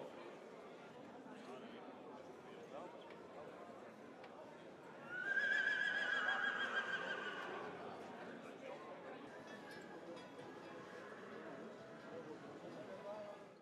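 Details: Paul van 't Clerckshof, a stallion at the 2018 stallion inspection, gives a loud, shrill whinny of about two seconds, wavering then trailing off, amid steady crowd chatter and voices in a hall.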